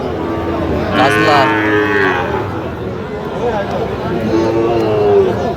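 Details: Sahiwal bull calves sold at a cattle market, 12 August 2025: one bright, harmonic moo early on, then softer lowing, under a steady hubbub of bargaining voices.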